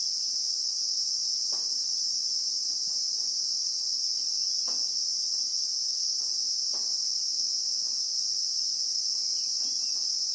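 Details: High, unbroken insect shrill from a Christmas beetle (Anoplognathus) in the South African bushveld, recorded in real time, droning evenly the whole time, with several faint soft clicks in the background.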